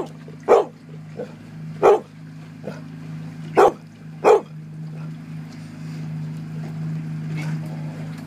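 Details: Dog at the Port Alberni 2013 salmon derby barking to drive a sea lion away from a caught Coho salmon; four sharp barks in the first five seconds, then quieter, with a steady low engine hum throughout.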